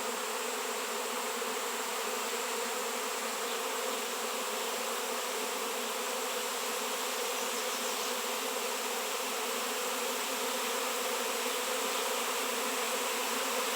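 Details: Honey bee swarm reacting strongly to a raw 7 lb shungite piece; a continuous, full-bodied buzz of many insects that swells slightly louder toward the end.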